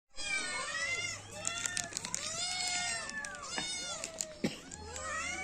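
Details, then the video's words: Cats and kittens meowing: many overlapping, arched, harmonic meows that rise and fall, calling almost continuously over a low steady hum, with a few sharp clicks. "Cat meowing sound effect] kitten meowing sound effect"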